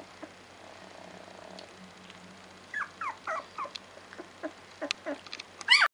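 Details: Two-week-old Labrador Retriever puppies whimpering: after a quiet start with steady low hum, a run of short, high, squeaky whines and yips sliding up and down, coming in quick uneven bursts and ending in a sharper cry.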